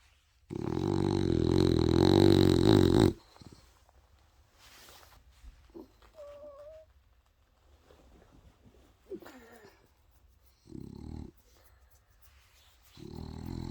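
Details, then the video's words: Loud snoring from a male French Bulldog, compared to an old man: one long, harsh, rumbling snore of more than two seconds, faint sounds during a quiet stretch, then two shorter rasping snores near the end. "How My French Bulldog Snores"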